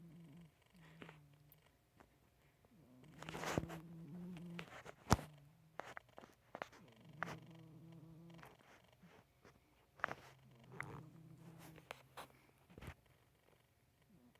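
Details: Marvin, a pet cat, snores indoors with low, buzzy breaths rising and falling in a steady rhythm, broken by a few sharp knocks and rustles.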